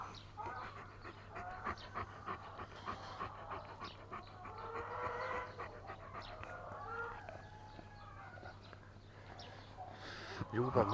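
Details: Tornjak, a Bosnian-Croatian sheep dog and livestock guardian breed, panting while being cuddled: quick breathy puffs, roughly three a second and loosely regular, with hen-like clucking and murmurs around it and a louder rustle at the end.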